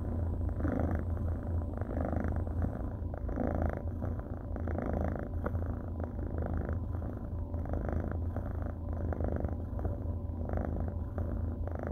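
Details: Orange and white tabby kitten, a male rescued after being dumped in a fast-food parking lot, purring steadily while being cuddled; continuous low rumbling purr with a regular pulsing rhythm throughout, no other sounds.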